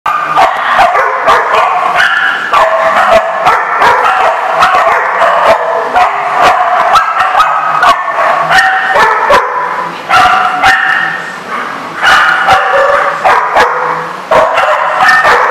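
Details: Many dogs at a dog daycare in Rhode Island, February 24, 2014: a dense, steady chorus of overlapping barks and yips from several animals, continuous without pause, with sharp clanking noises throughout.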